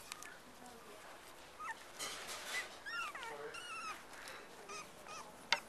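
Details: A litter of black and black-and-white Cocker Spaniel puppies playing with each other and their mother gives thin, high squeaks and whimpers, short and irregular, overlapping one another.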